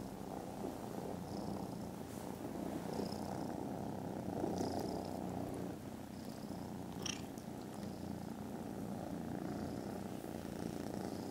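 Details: Contented kittens asleep after lunch give a very loud, continuous purr, a deep vibrating rumble with slow breathing swells and one short sharp click midway.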